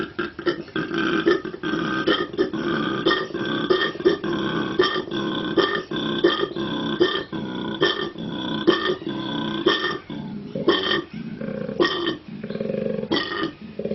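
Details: A male koala bellows in a rapid train of deep, rasping, belch-like pulses, like loud snoring. Its exceptional larynx lets the call carry across its territory of several hectares.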